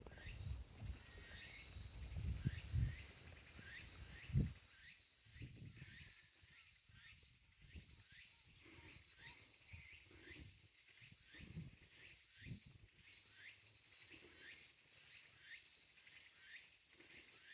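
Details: Tsukutsuku-boshi cicada singing near Lake Koyama, heard during a fixed-gear bike ride around the lake: high buzzy rising phrases repeated steadily, about one each second, over low wind and road rumble.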